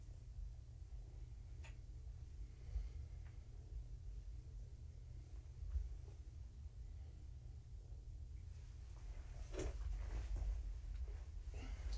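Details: A quiet indoor room with a steady low hum, soft scattered knocks and bumps, and slightly louder rustling toward the end, with no animal voice.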